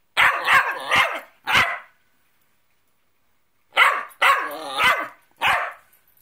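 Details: Mouthy Cockapoo barking back indoors when ordered to lie down: four harsh barks in quick succession, a pause of about two seconds, then another run of four sharp barks.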